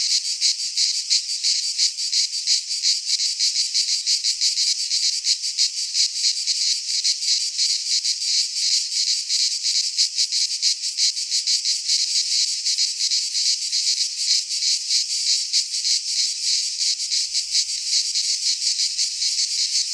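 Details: Midsummer chorus of cicadas in a pine forest in Greece: continuous shrill buzzing that pulses rapidly and evenly for the whole stretch, with no birds or people heard.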